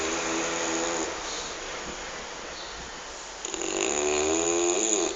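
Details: Sleeping pet dog snoring indoors, a breathy raspy rumble with faint harmonic bands, rising louder in the last two seconds as a new breath begins; a soft spoken voice follows.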